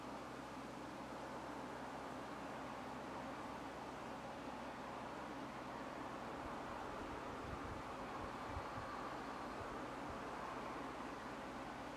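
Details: A steady broadband hum like a fan or distant traffic fills the recording, with no animal calls standing out.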